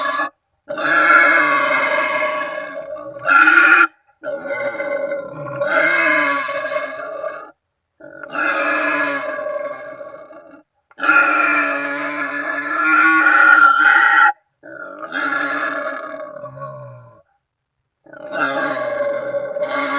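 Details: Wild boar call meant to summon companions or rivals, used to lure boar during ambush hunting; six long, grating, tonal squeals of up to three seconds each, separated by sudden short silences.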